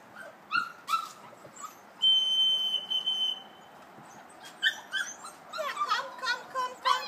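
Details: Kuvasz puppies, 5.75 weeks old and trained to a whistle, on a hike to the meadow in the large run. A steady, high dog whistle sounds mid-clip, framed by several puppies' thin, squeaky whimpers and yelps, busier toward the end.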